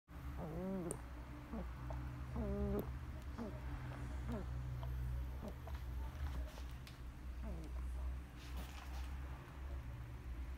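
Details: Pig-nosed turtle calling: short, arched, harmonic squeaks that rise then fall, given irregularly about eight times in ten seconds over a steady low hum.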